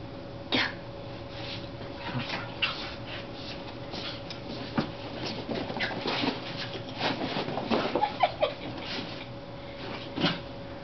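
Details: Two playing Corgis, which are cousins, give short, sharp barks and scuffling noises indoors over a steady electrical hum.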